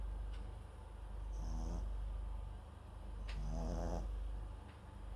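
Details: Two rattling snores from MAX, a Papillon × Japanese Chin mix dog asleep with a microphone close by, each a short buzzy exhale with a hissing whistle, separated by about two seconds of quiet breathing.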